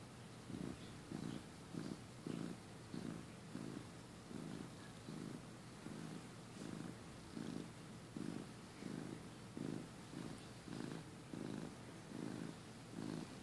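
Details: Pet cat purring while napping indoors, recorded in early 2015 when he had just joined the family: steady rhythmic low rumbling pulses, roughly one and a half per second, each breath cycle swelling and fading.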